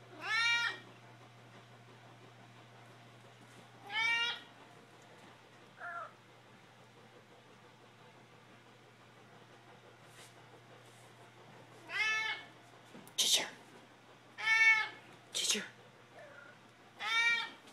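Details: Mittens and Ginger, pet cats, calling for food in a room: repeated rich harmonic meows every few seconds, some short and chirpy, several bunched together toward the end, over a constant low electrical hum.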